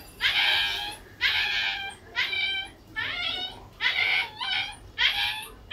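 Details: Golden Retriever indoors giving high, tonal whining yelps, five in all at about one per second, each rich in stacked harmonics with a slight falling bend, over a quiet room background.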